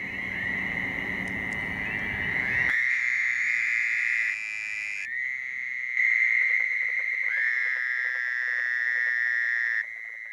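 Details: A chorus of Fowler's toads (Anaxyrus fowleri) calling at a wetland pond, with carpenter frogs also present, gives loud, nasal, buzzy, sheep-like trills, each lasting one to four seconds and overlapping in a steady chorus.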